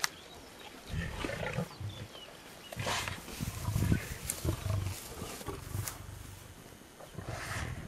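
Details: Low, throaty growling from lions feeding on a freshly killed pregnant warthog in the South African wild, coming in uneven rumbling pulses with short gaps and faint scuffling.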